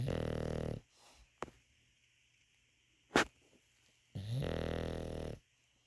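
An English Bulldog snores with long, low, rattling breaths separated by a quiet pause.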